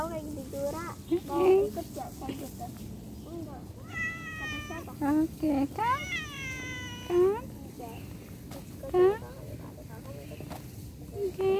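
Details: House cat meowing repeatedly during separation: short chirping mews alternate with long, wavering, high harmonic cries about every second or two, over a faint steady hum.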